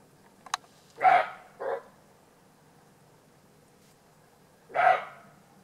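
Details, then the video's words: Roe deer barking in Alsace, France: two loud, harsh, hoarse barks about four seconds apart, a shorter, softer bark just after the first, and a sharp click before them, over a quiet background. "Aboiement du chevreuil"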